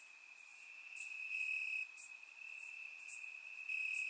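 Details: Grass crickets on a warm Bulgarian summer night, surround-microphone recording: an unbroken high trill with louder stretches lasting about half a second, plus faint high clicks scattered above it.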